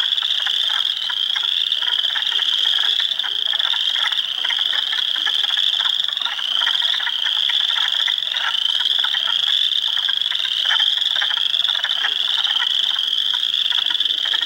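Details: Close, loud chorus of hundreds of frogs in an Ontario swamp at Heartland Forest on April 2, 2022, among them Spring Peepers, Wood Frogs and Eastern Chorus Frogs: a constant piercing trill with regular rising sweeps and quick rattles underneath.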